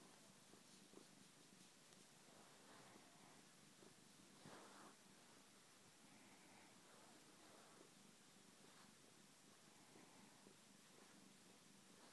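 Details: Female pet cat purring while snuggling on a lazy Sunday; a soft, low, steady purr continues throughout at very low volume, with faint rustling.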